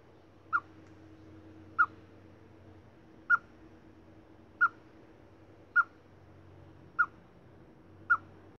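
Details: Chipmunk whistling: seven brief, piercing chirps repeated at a fairly even pace of about one every second and a quarter, with a faint low rumble underneath.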